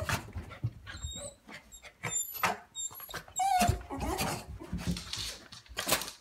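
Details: Coton de Tulear named Cozy, indoors and so excited over dental treats she almost loses her breath, gives short high whines and squeaky rising whimpers among snuffling and movement noises.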